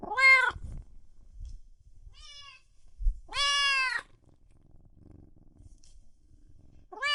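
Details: Cats and kittens meowing loudly: a few well-spaced harmonic meows, one long drawn-out cry in the middle, with low thumps and faint background noise between calls.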